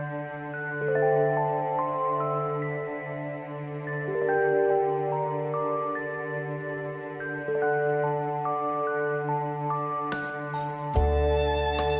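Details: Gentle new-age background music with soft melodic notes over a low drone, ending in a few sharp clicks, with no animal calls.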